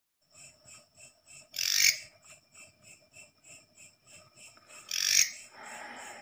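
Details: Katydid (leaf grasshopper) heard at night, a sound usually heard in the forest, after one came into a house: two loud, harsh buzzy bursts about three seconds apart over a steady soft pulsing of about four beats per second.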